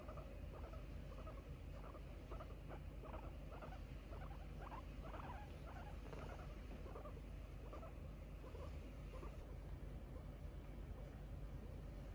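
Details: Relaxing pet guinea pig Kiibow, lying stretched out indoors, recorded 4 January 2022: dense rapid series of brief soft chirps, several per second, fading toward the end over constant low hum.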